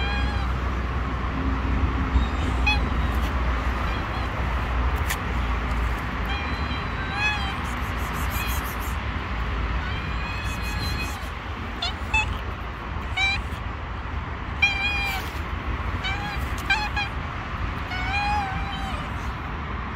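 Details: Several stray kittens on the street, distrustful of a person nearby, mew in frequent irregular high cries, clustered between seven and nineteen seconds, over continuous urban traffic rumble.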